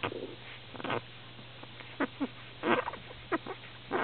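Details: Very young Lhasa Apso puppies, recorded 29 December 2008, give short, scattered whimpering squeaks and yelps over a faint steady hum.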